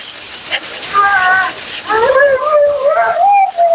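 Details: Vocal Siberian Husky Mila complaining at the groomer during her bath and blowout, a short rising and wobbling whine-moan in the second half, preceded by a brief higher tone, against steady rushing hiss.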